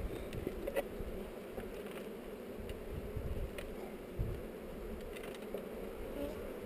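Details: Many honey bees humming during an inspection of a hive on heather, GoPro recording; a continuous low, even drone with a few faint taps and knocks.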